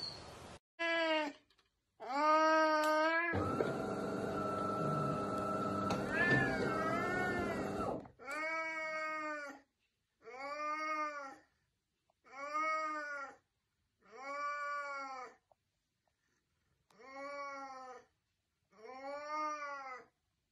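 An Oriental Shorthair cat gives loud, nasal meows that rise and fall, repeated about every two seconds.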